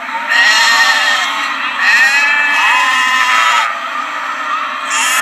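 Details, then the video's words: Lamb bleating in long, wavering harmonic cries that overlap almost continuously, several voices rising and falling, with a steady background hum beneath. "Sheep Lamb voice sound effect no copyright | Sheep high bleating | Sheep baa sound | Lamb bleat"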